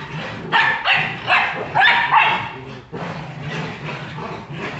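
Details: Jagdterrier barking in Brazil: four loud, harsh barks in quick succession, about half a second apart, then softer, muffled barking and background commotion.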